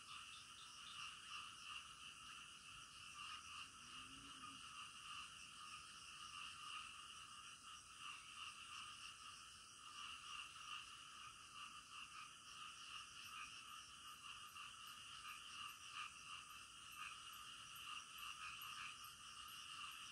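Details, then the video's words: Frogs heard in the middle of the night: a thick, unbroken wall of overlapping croaks, evenly loud, with a brief lower sound near the start and fast high ticks later on. "SUARA KODOK DITENGAH MALAM"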